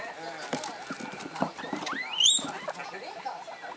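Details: Three excited pet guinea pigs, Komachi, Yokihi and Cleo, two of them one month old and the eldest six weeks, calling at home; a sharp rising high squeal stands out midway amid chirpy sounds, with television voices and noise throughout.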